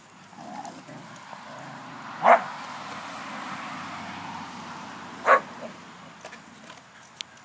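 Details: Two short, sharp barks about three seconds apart from dogs playing, one called Alea, over a steady low background hum.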